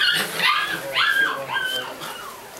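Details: Doberman Pinscher puppies, for sale in California: high, whiny rising-and-falling whimpers and yips, three or four in quick succession, with a person talking in the background.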